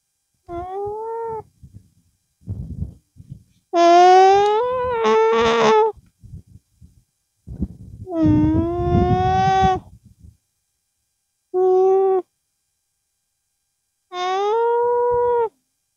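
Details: A llama (Lama glama) with its young hums through its nose to express itself, giving a series of nasal, tonal hums, each about a second long, rising then easing off.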